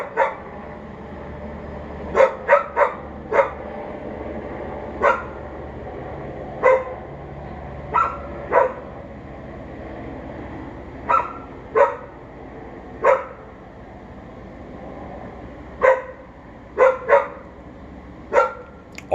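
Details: Unsupervised dog barking at a neighbour it can hear, recorded from a bathroom window at 11:43am on May 28, 2022; about seventeen sharp, loud barks come singly and in quick pairs or triples at irregular gaps over steady background hum.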